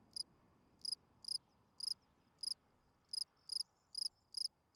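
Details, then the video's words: Field cricket singing at night, a calling song to draw females: bright pulsed chirps at irregular intervals, around two to three per second, each a tight burst of a few pulses, in a quiet setting. "Night Cricket Singing Sounds. Field Cricket chirping"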